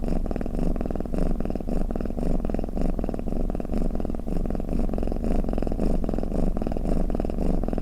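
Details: Low, rattling cat purr heard as snoring, rhythmic breathing swells coming slightly faster, near two per second, with a constant buzzy undertone and nothing else audible.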